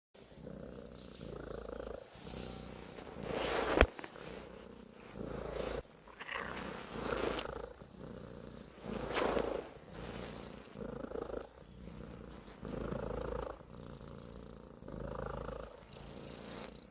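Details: Domestic cat purring steadily, a low rumbling buzz swelling and fading with each breath roughly every one and a half seconds, with one sharp click partway through and no other clear sounds.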